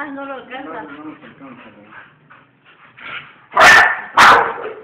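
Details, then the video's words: A person talks for several seconds, then pet bull terriers break in with two loud, abrupt barks close together. "Mis perros bull terrier"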